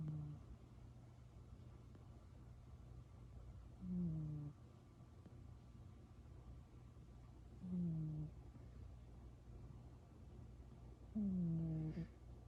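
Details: Cat woken up yet still purring, between snoring and purring. Three low rumbling exhalations, each ending in a brief dropping tone, spaced about four seconds apart, with a steady hum underneath.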